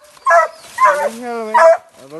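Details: Hunting dogs baying at a cornered manicou in the 2020-2021 hunting season, three sharp harmonic barks with a long wavering howl between them and a lower drawn-out yelp at the end.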